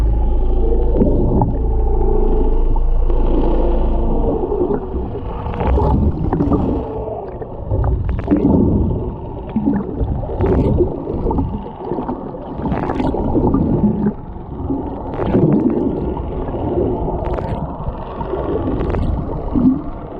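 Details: Underwater recording of a humpback whale mother and calf near Japan's Ogasawara Islands, 11 February 2021, whale-watching trip: varied low moans, short upswept whoops and groans in irregular sequence, with bubbling water and a constant low hum beneath.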